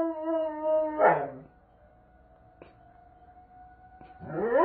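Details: Doberman Pinscher reacting to a monthly tornado siren test with a wavering howl that breaks and drops, then a quiet gap filled by a faint steady siren tone, and a new rising howl at the end.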